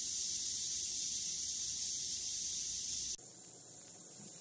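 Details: Western diamondback rattlesnake killing a mouse; its tail gives a continuous hissing buzz that cuts out for an instant near three seconds, then resumes a little softer.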